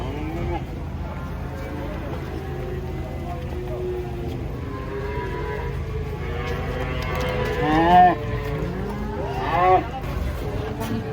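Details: Cattle come off a truck during unloading. Several drawn-out, wavering moos grow louder, with two strong bellows near the end. Voices talk in Indonesian and a calf is mentioned nearby.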